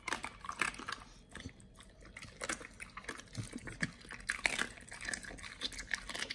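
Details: Pit Bull named Nomyen chewing raw quail: loud, close crunches and wet, slurping bites. Snapping bursts arrive several times a second with short pauses between them.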